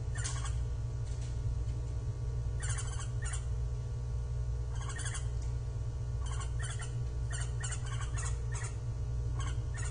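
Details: Japanese giant flying squirrel calling on 25 December 2023 during a session of climbing, descending and gliding; short harsh, pulsed bursts spread across high pitches, given in irregular clusters of two or three, over a steady low rumble.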